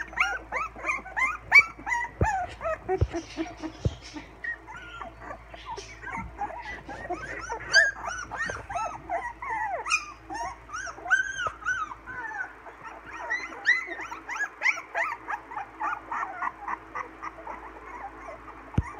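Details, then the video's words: Several 16-day-old English Springer Spaniel puppies, learning to howl, give high, wavering squeaky howls and whines together on June 26, 2016. "Addie's babies - English Springer Spaniels - We can talk!"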